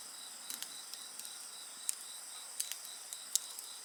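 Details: Brief stretch of steady, high-pitched insect trilling in several layers, punctuated by a handful of crisp fire crackles and small pops.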